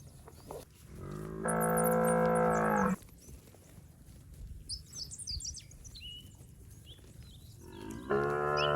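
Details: A herd of fat, healthy village cattle wandering rice paddies: one sustained, even, low moo of about a second and a half, then a pause filled with chirping birds, then a second moo beginning at the end.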